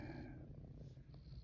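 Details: A pet cat, female, purrs in a person's lap during rubs, showing sleepy eyes; the low rumble stays steady with a faint breathy sound early on.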